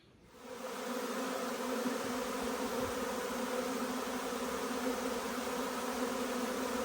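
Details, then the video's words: Honey bee swarm arriving at a stack of nucleus hives in hot, humid, balmy weather with chestnut in full flower; a dense, steady buzzing drone with a strong low hum and layered overtones swells in within the first second and holds. "Huge swarm arrives, magnificent as always!"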